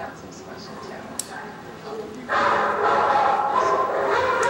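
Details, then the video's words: Siberian Huskies howling in response to a short piece played on a computer: quiet for about two seconds, then loud, sustained, wavering howls start abruptly and overlap to the end. "husky howling"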